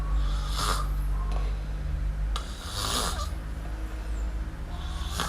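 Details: Miumiu the kitten, asleep and snoring: three hoarse, hissing inhalations roughly every two to three seconds, each with a faint wheeze, against a low steady drone.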